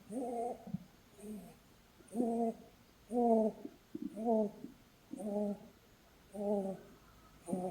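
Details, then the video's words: Holland Lop rabbit Blueberry, a female pet, snoring while asleep during a cuddle. She makes soft whistling, wheezy nasal notes with stacked tones, one breath-snore roughly every second in a steady rhythm, with a quiet background. "Cuddling with a SNORING bunny!"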